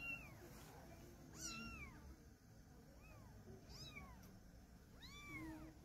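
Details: Meowing during a mother cat's move of her kittens, a kitten held in her mouth. Five or six clear, high, rise-and-fall meows spaced about a second apart, with a low background rumble.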